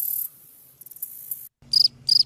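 Two brief cricket chirps ring out, clear and high-pitched, made by rubbing the wings together. Before them only a thin hiss and a few soft ticks are heard.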